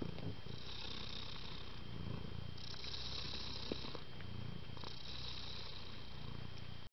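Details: Low rumbling purr from house cats, kittens born the same day who stayed at home with their mother and are all very affectionate; continuous soft purring with gentle rhythmic swells and a few light rustles.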